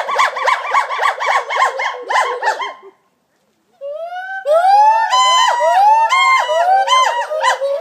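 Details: Gibbons in full song at the Gibbon Conservation Center: rapid pulsing whoops, a short silent break near three seconds, then long upward-sliding notes building into overlapping, rhythmic calls.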